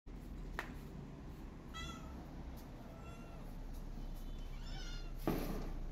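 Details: Feral cat Maya calling for food while her kitten is missing: two drawn-out harmonic meows, one near the middle and a rising, wavering one near the end, over low indoor rumble with a sharp knock at the close.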